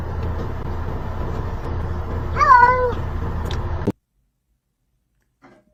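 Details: Kitten giving a single short meow, slightly falling at the end, over a steady low background hum, followed by abrupt silence.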